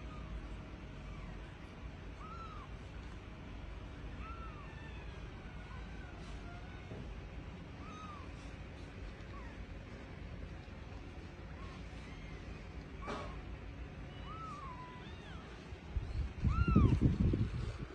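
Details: Rescued kittens that lost their mother, kept in a house, give faint, short arched meows every two to three seconds over a steady low rumble, with a louder thump near the end.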